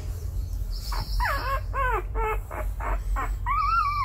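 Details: Stray mother dog and her five newborn puppies, given shelter indoors and kept safe from the rain: a run of about eight short, high whining whimpers, some sliding downward, others arched or wavering, over a steady low hum.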